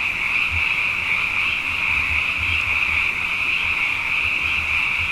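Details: Frogs in large numbers after two wet years sing through the night, their massed high trilling calls merging into one continuous shimmering drone, with soft low rumbles scattered beneath.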